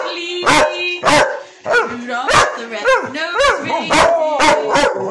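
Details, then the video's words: Two working Cocker Spaniels excitedly singing along to Rudolph the Red Nosed Reindeer at Christmas: sharp barks alternating with short rising-and-falling howled yelps, about two each second, over the music. "Working Cocker Spaniels getting ready for Christmas singing Rudolph the Red Nosed Reindeer"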